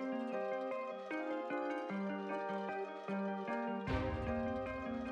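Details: Only a gentle melodic music track with bell-like tones plays, with no animal sounds. A soft swell near the end brings a fuller chord, but no calls or voices of any creature come through.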